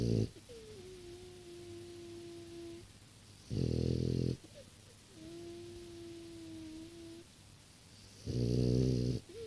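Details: Snoring from a six-year-old French Bulldog, a deep harsh rasp repeating roughly every four to five seconds, with softer whistling exhales in the pauses.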